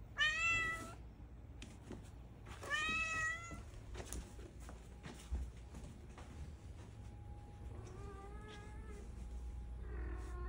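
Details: Cream calico-mix cat in a room: two bright, strong meows open, then quieter softer meows later, with light clicks and a thin steady tone in the background.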